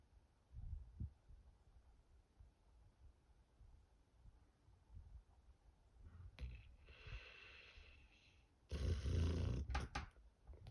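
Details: Sky, a pet dog, snoring while asleep indoors: soft low rumbling snore pulses recur through the first half, then a louder, rough, noisy snorting burst swells near the end.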